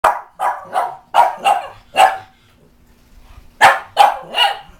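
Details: Reverse brindle Bugg puppy, a Boston Terrier/Pug mix, freaking out at a cat statue indoors while a pug is also present; sharp, rough barks in a quick run of six, a second's pause, then three more.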